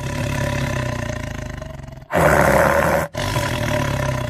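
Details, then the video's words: Lion roaring: a steady low rumbling drone breaks into one loud, rasping roar lasting about a second, then the rumble resumes. "शेर की दहाड"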